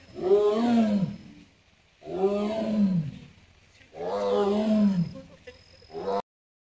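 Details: Amur tiger Sasha at Hamamatsu Zoo, Japan, on 24 September 2023, recorded near the bamboo grove, giving three deep, rough roaring calls about two seconds apart, each harmonic and slightly falling, ending with a short fourth burst.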